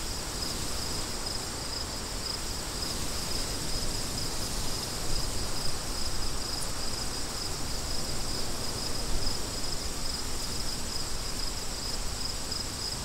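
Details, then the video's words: Crickets with wind: a steady high chirping band pulses evenly throughout, over loud, rumbling low wind noise that swells and fades. "Crickets & Wind"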